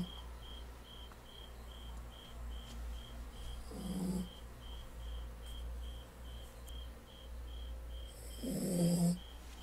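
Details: Pomi, a pet dog deep in sleep and snoring while indoors: two breathy, rasping snores about four seconds apart over a steady low hum and a regular electronic beeping.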